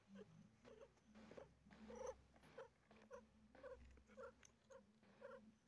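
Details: Female cat giving birth to four kittens and feeling pain: quiet, rhythmic purring pulses, about two per second, with short breathy bursts over a low steady hum.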